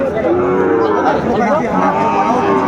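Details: Sahiwal cattle, bull calves for sale at a Comilla market in Bangladesh, give short wavering moos with a slight rise and fall, layered over a dense hubbub of market voices.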